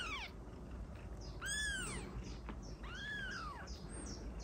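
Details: Kitten meowing, used to attract cats: two clear high arched meows, each rising then falling over about half a second, with a trailing meow at the start, over a steady low hum.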